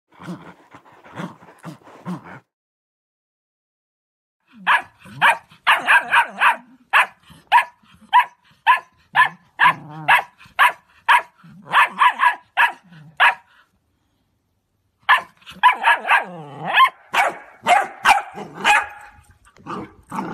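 A Cocker Spaniel barks in sharp, rapid bursts, with low growls between.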